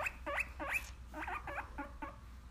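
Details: Guinea pig crying because it wants a popsicle: a run of about eight short, high squeals. Each squeal rises sharply, and they come roughly every third of a second. A low background hum is present throughout.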